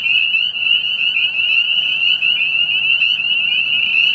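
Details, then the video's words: A dense spring peeper chorus on March 30, 2018, after a late start to the season: countless high, piercing peeps blend into one continuous shrill ring. "3/30/18 March madness -- spring peeper-style"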